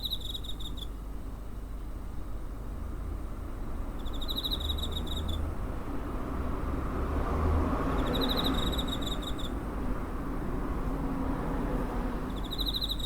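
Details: Cricket recorded near home on 7 September 2023 with a TASCAM DR-05: high, pulsed trilling bursts about a second long, repeating roughly every four seconds, over a steady low rumble of background noise.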